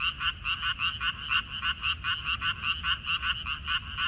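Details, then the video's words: Frogs in a water dropwort (minari) field, recorded 14 May 2021: rapid pulsed croaks, roughly three to four per second, stacked in bright mid-to-high bands and overlapping from several callers, over faint low rumble. "고향 생각 나게 해주는 개구리 소리, 미나리밭의 그놈들, Croaks of Frogs, Sounds of frogs, Song of frogs"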